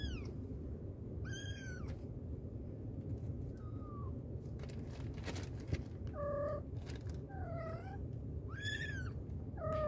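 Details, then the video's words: A mother cat calls to her kittens. High, thin, falling mews mix with lower, shorter meows in quick sequence, some in close pairs, while a few clicks and a low steady hum run underneath. "Mother cat calling her babies | cat meowing |kittens sound | mommy cat calling her kittens"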